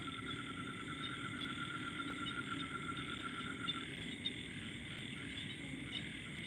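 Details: A dense night chorus of frogs around a house among rice fields in Thailand, steady and shimmering, with a faint insect-like trill layered over it.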